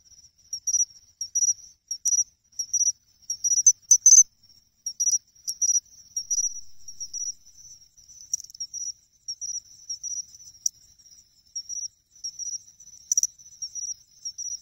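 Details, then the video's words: Chinchirorin song of a pine cricket, recorded in August beside a pond in Ehime, Japan. Clear high-pitched chirps repeat in uneven bursts with a few sharp ringing accents and brief quieter trills, on an otherwise quiet background. "ため池でマツムシを探す！チンチロリンって実際どんな声？？ Pine Cricket Sounds"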